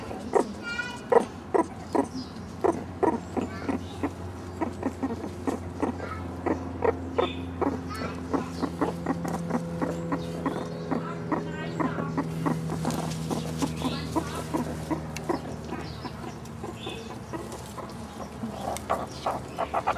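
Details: Young captive meerkats, three turning one year old, search an overgrown enclosure for beetles and mealworm treats; rapid ticking pulses run throughout, with drawn-out low humming tones in the middle and scattered short chirps.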